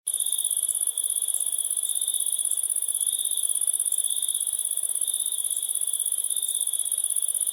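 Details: Crickets chirping in a steady, unbroken high trill of very fast pulses, with a thin piercing band far above a lower shrill band and no other sounds.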